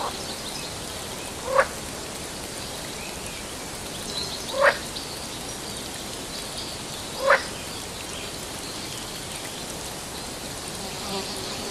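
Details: Sri Lankan frog calling three times at roughly three-second intervals, each call a short upward-rising chirp, set against constant dense hissing background noise.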